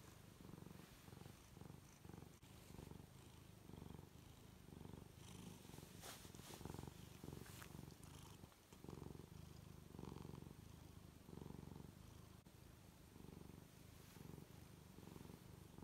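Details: Low, continuous purring from Luna, a female tuxedo cat, as she stretches and rolls around on her back, pulsing in gentle breathing cycles roughly twice a second, with occasional rustles and soft scraping from her movement.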